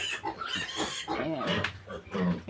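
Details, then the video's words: Native pig piglets being weaned from their mother sow; harsh, noisy squeals and grunts come in overlapping bursts, with a short rising and falling squeal near the middle. "pagwawalay ko sa mga biik ng pure native na inahing baboy"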